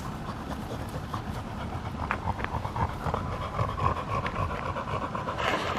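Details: Rapid, even panting from a field-type Labrador Retriever after playing with a ball, about four short breaths per second, with low background rumble and a faint rustle near the end.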